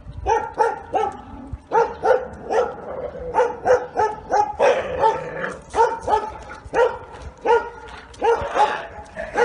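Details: A Bull Terrier named Giotto, neutered, once aggressive toward its owners, being trained: loud, regular barks repeated about twice a second in steady rhythm, each bark short and rough with strong low harmonics.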